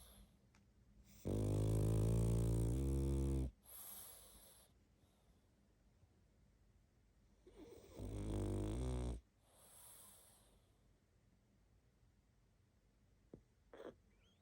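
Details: Sleeping pug snoring: two long, loud, rasping snores, each lasting about two seconds with a deep buzzing rattle, followed by softer exhaled snuffles and quiet breathing between them.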